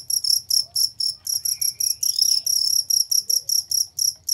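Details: Cricket chirping as a master recording for training competition songbirds: clear, bright, high-pitched chirps in a steady stream of pulses about four per second, with a faint low hum underneath.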